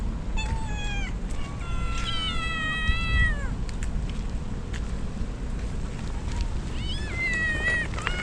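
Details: Rain-drenched stray kittens crying as a typhoon nears, with two mother cats nearby: a string of loud, harmonic meows, several sliding downward at their ends, some overlapping, set against a continuous hiss of rainfall.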